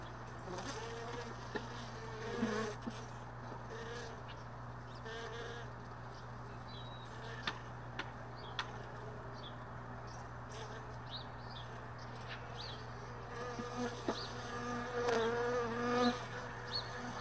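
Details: Early morning around beehive boxes left in a truck bed all day, after most of the bees departed the night before: several honey bees hum and drone past in overlapping wavering buzzes, with occasional sharp knocks and clicks.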